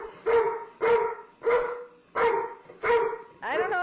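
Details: Household where a little puppy has moved in with a cranky but tolerant old dog: sharp, mid-pitched barks repeated about every 0.6 seconds, six in a row, the last rising into a yelp.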